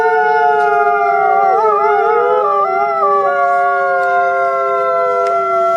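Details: Wolf howling, captured on a trail camera: several overlapping long, smooth tonal howls holding steady pitches, with voices weaving and briefly wavering together around the middle.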